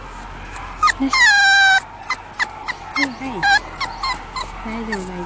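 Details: Male Schnauzer puppy born on April 13, giving high, thin whimpers: one long drawn-out whine, then a string of short rising and falling yelps, with a person's soft voice speaking between them.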